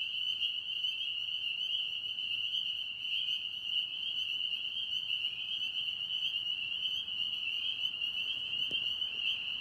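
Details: Frogs in a Tennessee pond singing as a massed chorus, a steady high-pitched ringing drone with overtones that never breaks, plus a brief faint click near the end.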